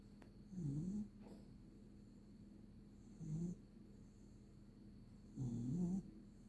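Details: A dog snoring while sleeping under a blanket: three soft low snoring breaths about every two to three seconds, each short and wavering, over a quiet steady hum.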